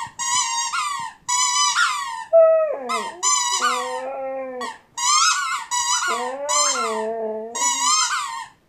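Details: Whining Siberian Husky with a squeak toy. Many quick, high squeaks alternate with two stretches of lower, sustained crying that waver up and down. The squeaking bursts come in rapid succession throughout.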